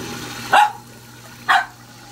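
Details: Samoyed named Sarang-i, a young dog growing fast over two months, gives two short, sharp barks about a second apart, each a brief bright burst followed by near quiet with a low steady background hum.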